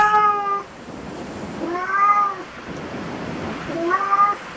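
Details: Domestic cat at a cat cafe giving three harmonic, drawn-out meows about two seconds apart, the middle one rising then falling, over a low steady indoor hum.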